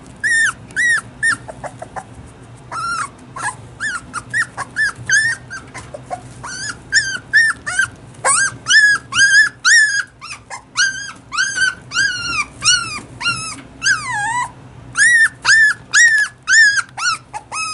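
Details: A female Toy Poodle puppy, about one and a half months old, cries a lot. Her high, thin whimpers rise and fall, sometimes arching and sometimes dropping. They repeat rapidly in irregular runs, roughly twice a second, over a quiet, faint background hum.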